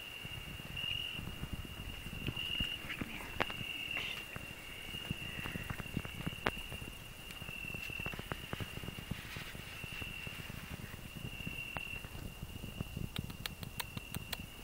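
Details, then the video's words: Cricket on a rose bush, with a grasshopper also singing; a continuous high, even trill runs throughout against frequent rustling, thumps and handling noise as the recorder moves through the thorny bush. "Cricket and grasshopper singing"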